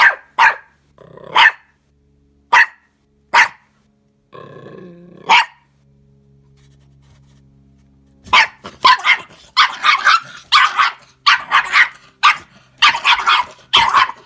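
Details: A new puppy uncertain about Anja the pet fox fires off spaced sharp barks, a throaty growling bark, a quiet pause, then a rapid, almost continuous string of excited high yaps.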